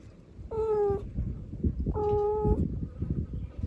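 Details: Mother cat calling her kittens, filmed live indoors: two drawn-out, harmonic-rich meows about half a second each, the second slightly longer and level in pitch, over low rumbling background noise.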